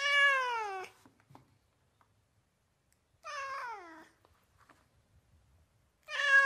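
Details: Domestic cat in California giving three descending meows, each sliding downward in pitch over under a second, spaced by quiet gaps of about two seconds with faint clicks.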